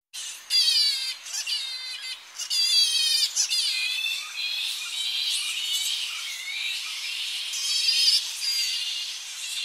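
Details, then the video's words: Tonga flying fox colony at early morning as bats return to roosting trees on the coast, recorded close up: shrill, squealing calls with wavering harmonic chatter, overlapping bursts from several bats. "Tonga Flying Fox / Colony. Early Morning As Bats Return To Roosting Trees On Coast. CU Shrill Calls"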